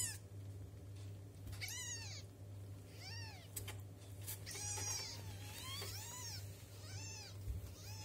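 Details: Domestic kittens two weeks old calling for milk: a run of about seven thin, rising-then-falling mews spaced roughly a second apart, harmonically rich, with a constant low electrical-sounding hum beneath.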